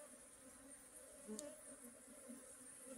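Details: Honey bee buzzing as a low, steady drone with faint harmonic bands, unbroken for three seconds and quiet overall, with a brief soft click near the middle.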